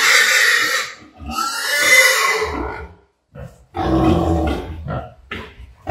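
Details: Sow at Ferme Lucerne Paradis around artificial insemination, giving drawn-out high-pitched squeals followed after a pause by harsh broken squeals and low grunts at about half-second bursts.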